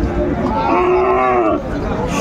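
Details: At Ambari market in Dinajpur, 19 April 2024, where Friesian and crossbred bull calves are traded, one bovine gives a clear, long, gently arching moo lasting about a second, with human voices and market bustle around it.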